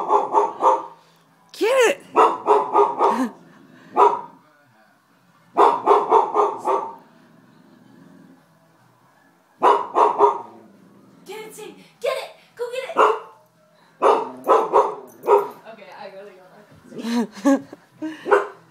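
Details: Indoor Goldendoodle puppy reacting to a raccoon on television, giving clustered runs of several sharp, high barks separated by short pauses. Human voices are heard between the runs.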